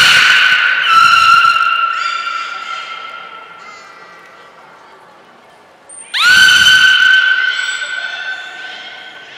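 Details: During a session on 16 March 2024 at the Port of Nagoya Public Aquarium with every beluga joining in, a loud, steady, harmonic squeal is held for several seconds. After a brief high whistle, a sharp upswept call starts another long tone.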